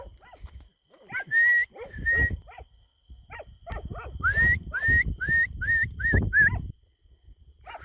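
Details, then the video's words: Kangal shepherd dogs on a farm at night during an attack, barking in short harmonic bursts, interleaved with a series of clear rising whistled notes repeated about every half second. "KANGALLARIN GECE AVI - KÖPEKLER ÇİFTLİKTE KUŞ UÇURTMUYOR ( KANGAL ATTACK )"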